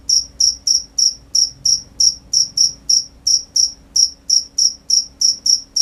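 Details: Crickets at night: clean, high-pitched chirps repeated steadily at about three per second, each a short bright pulse, with faint low hum beneath and no other animals.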